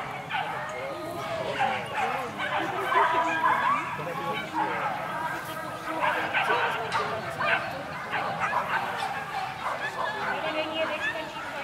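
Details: Whippets at the Krása a výkon 2016 race final in Kolín, Czech Republic; a chorus of excited, overlapping high yips and barks runs throughout, mixed with human voices and crowd noise.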